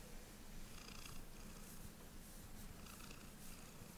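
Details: House cat enjoying a belly rub, purring in a continuous low rumble, with faint rhythmic rubbing noises above it.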